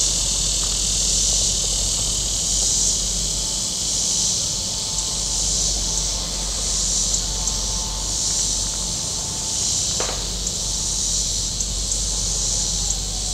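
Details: High buzzing cicada chorus from the shore of Table Rock Lake in southern Missouri on a very warm day, pulsing gently in loudness, with low boat rumble, a faint mid-pitched whine and a brief sharp click near the end.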